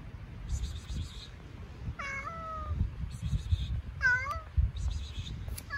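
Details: Hungry stray cat on an Istanbul street meowing twice, each cry a clear drawn-out tone that starts high and slides down, about two seconds apart, over low traffic rumble and faint high hiss.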